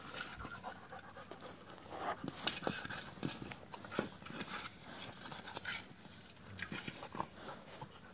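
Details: A 10-week-old male Labrador Retriever puppy, born 1 May 2022, pants softly with quick breathy puffs and small snuffles.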